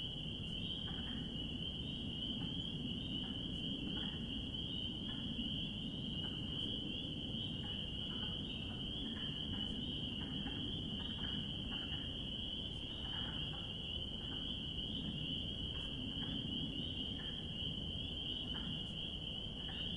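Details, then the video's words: Many spring peepers call together in spring, their piercing peeps merged into an unbroken shrill drone. Softer, scattered, lower clicks come and go beneath it, over a steady low rumble. "Relaxing Sounds of Spring Peepers"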